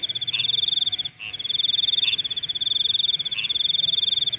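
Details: Insect calling at night: a steady high, rapidly pulsed trill runs almost without break, dropping out for a moment near the middle, while softer short chirps repeat about once a second underneath.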